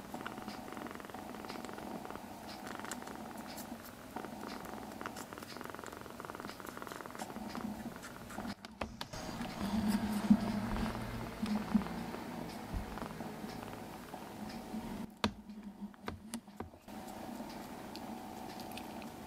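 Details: Rescued foster kittens resting indoors give a continuous low rumbling purr with a fine pulsing texture, briefly louder midway, interrupted by short gaps of handling noise and rustles.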